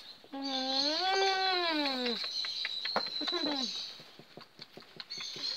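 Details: Presa Canario puppy from the litter of Kia and Lucho, 4 July 2019: one long, wavering whine lasting nearly two seconds, then a shorter falling cry, with soft clicks and small room noise afterwards.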